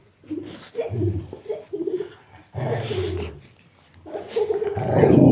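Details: Saint Bernard and Rottweiler, two huge dogs, asking for early morning cuddles; low moaning, grumbling vocal bursts in uneven pulses with short pauses between, growing louder and more strained toward the end.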